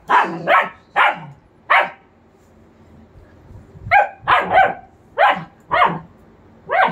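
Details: Playtime between a German Shepherd puppy of two months and a three-year-old German Shepherd: loud clustered barks, a pair then single yaps, a one-second lull, then a rapid run of five barks.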